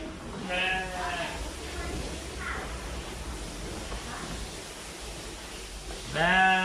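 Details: Fluffy sheep bleating: a wavering, harmonic-rich bleat near the start, two faint shorter bleats in the middle, and a louder bleat at the end, over a steady low background rumble.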